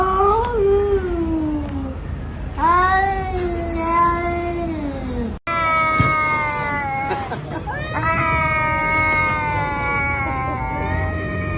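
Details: Pet cat talking nonstop to its owner: a run of long, drawn-out harmonic meows, some sliding downward and others wavering, with brief pauses between calls and a steady low background hum.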